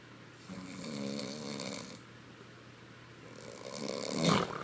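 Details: A female Boston Terrier sleeps and snores in a rough, rattling rhythm, each breath a drawn-out nasal rasp.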